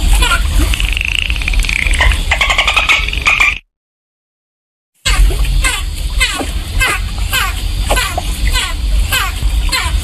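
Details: Dolphin vocalising beneath the surface, opening with an undulating whistle and buzzing click trains, then a silent break, followed by rhythmic, sharply falling chirps over murky low rumble.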